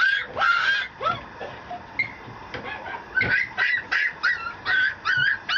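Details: Male Mameshiba puppy, a Japanese small Shiba dog, at a breeding kennel in Japan. It gives a run of short, high whimpering yips in quick bursts, most closely spaced and regular over the last half.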